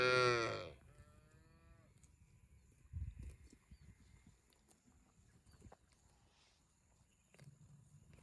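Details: ['One loud, deep moo opens, trailing into a fainter, sliding tone, followed by quiet background with occasional thumps.']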